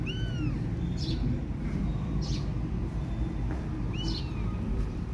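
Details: Kittens without their mother give thin, high, arching meows, one at the start and another near the four-second mark, against a low steady rumble.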